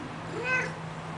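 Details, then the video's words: Domestic cat making a soft, faint meow that rises and falls over about half a second, with a low steady hum in the background and a person talking just before and after. "cat talking"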